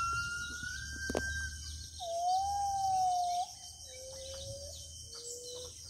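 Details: Gibbon in the deep interior forest of Kalimantan. A series of long, pure whistled notes: a high level tone, then a sustained lower note and shorter notes stepping down in pitch, with faint insect hum and rustling behind.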